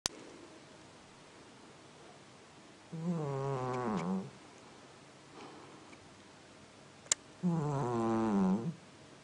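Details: A cat snoring like a person: two long, low, buzzy snores, each about a second and a half and wavering in pitch, roughly four seconds apart, with a faint click between them in a quiet room.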